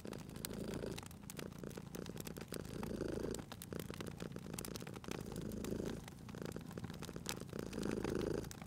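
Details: Cat purring next to a crackling fireplace: a steady low rumble pulsing with breaths every couple of seconds, the louder swells near the end, amid continuous fire crackle and snapping embers.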